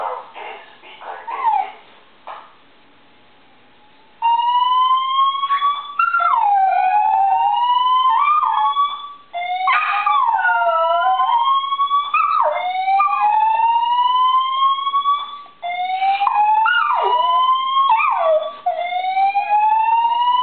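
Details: Charlie, a Dachshund, howls in wavering, sliding notes along with a repeating, rising electronic tone from his building's monthly fire alarm test, which he likes to howl during.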